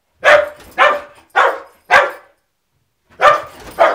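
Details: Domestic dog barking at the mail carrier: four evenly spaced harsh barks, a second of silence, then two more loud barks.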